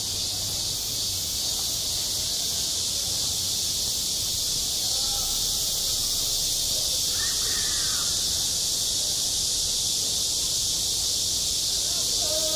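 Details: Playground in midsummer with cicadas droning: an intense, even, high-pitched buzz runs through the whole stretch, a short rising-falling call from another creature near the middle, and soft voices beneath.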